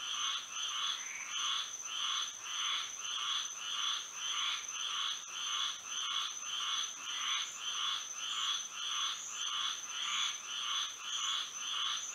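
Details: Frogs calling at night in Florida under the moon: a dense, fairly even rhythm of short buzzy croaks, around a hundred a minute, overlapping in a pulsing chorus over a steady piercing hum.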